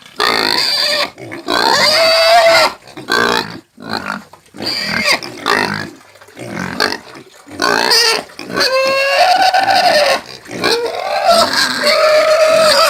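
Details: Squealing pig in repeated harsh, piercing screams of varying length, some sustained over a second, others short bursts, with brief breaths between and grunting fragments in the gaps.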